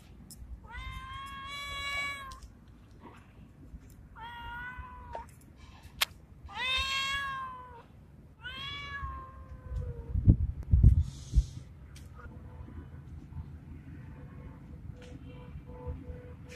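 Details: Male street cat resembling a Bengal, in heat and calling a female: four drawn-out, wavering meows with rich harmonics over about ten seconds, rising then falling, followed by low thumping and rustling noise.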